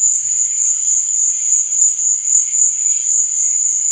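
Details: Crickets chirping at night: a steady, high, shimmering trill with no break, over a faint lower rustle of softer chirps.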